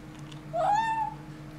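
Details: Kitten guarding a bone gives a single short, clear mew, rising slightly then holding level for about half a second before fading, over a low steady hum in a quiet room.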